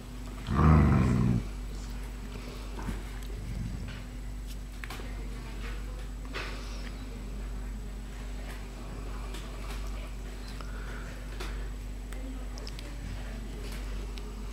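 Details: Puppies seven weeks old, third litter, indoors. A single short, loud, low bark-like yelp sounds near the start, followed by a long stretch of quiet room noise with faint scattered clicks.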